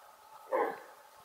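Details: Female red deer alarm call, described as resembling the bark of a large dog: one short, hoarse, explosive bark standing out clearly against quiet background hum.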